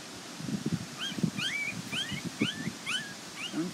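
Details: Border Collie puppies from the Nell x Skeet litter, outdoors at the International Peace Gardens on 12 August 2018, scattered around a step and concrete. High thin whining squeals slur up and down, several each second, over low murmuring voices and rumble.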